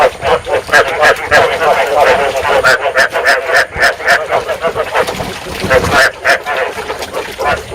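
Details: Rice field frog calls used as a trapping lure to stimulate breeding: a steady barrage of quick, reedy croaks, roughly three to four each second, with several frogs overlapping and a soft hiss behind.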